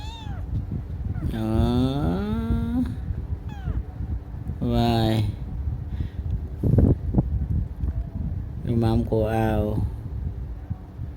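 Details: Domestic cat meowing indoors: a long, drawn-out harmonic meow that wavers and slides down, followed by two shorter, clipped meows spaced a few seconds apart, over a steady low hum.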